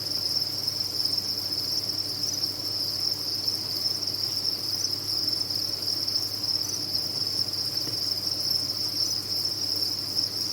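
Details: Farm crickets chirp en masse, blending into a constant shrill high band of sound that never breaks, accompanied by a low background hum.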